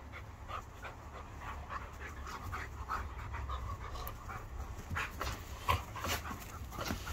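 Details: Panting from one of two dogs, Archie the two-year-old Irish Setter or Hercules the five-year-old Border Collie, Kelpie and Blue Heeler cross, in a staredown; quick airy huffs repeat throughout above a low background hum.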